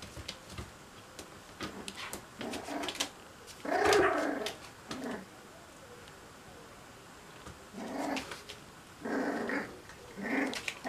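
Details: Puppies playing together, giving short rough growls and grumbling bursts in several spaced clusters, loudest near four seconds and again toward the end, with soft scuffling in between.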